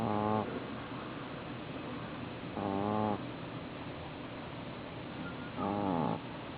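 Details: Boston Terrier fast asleep indoors, snoring in three drawn-out, buzzy, harmonic breaths roughly every three seconds, each lasting about half a second, with a steady low hiss between them.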